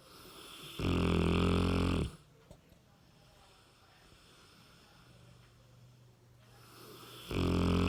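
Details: Sleeping 60 kg Cane Corso called Ram gives a loud, low, rattling snore lasting just over a second. A quiet gap of about five seconds follows before the next heavy snore begins.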